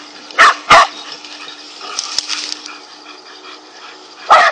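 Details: Several angry dogs confronting a king cobra, barking: two sharp barks close together near the start, a quiet stretch with faint rustling, then one more loud bark at the end.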